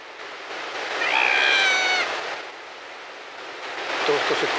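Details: An Australian sea lion on a protected sand beach on Kangaroo Island, South Australia, gives a drawn-out, bleating wail over the steady hiss of surf.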